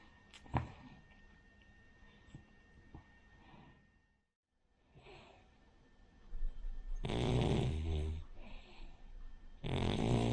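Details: Rin, a sleeping Cavalier King Charles Spaniel, a flat-nosed breed that snores like a pug or bulldog; several quiet seconds of faint breathing give way to loud, rough, rasping snore bursts near the end.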